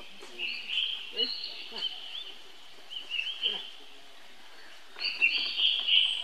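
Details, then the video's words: A baby monkey cries for help to his older brother Rainbow, thin sustained squeals broken into several bursts, a silent pause, then a louder renewed wail, light tapping noises underneath. "Heard Young Bro Call To Help"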